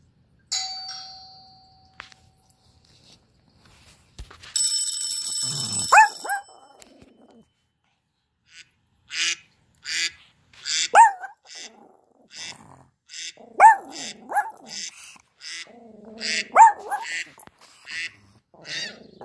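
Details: Tsuki, a small, feisty Pomeranian, reacts to a doorbell ding-dong at the start with a string of short, sharp yips and barks spaced a few seconds apart, with faint hissing noises between them indoors.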